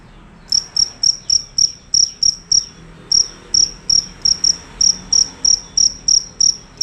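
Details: A fierce cricket calling loudly and continuously: clear high shrill chirps roughly three per second, evenly spaced after a short silent start, with only a slight gap midway; low faint hum underneath.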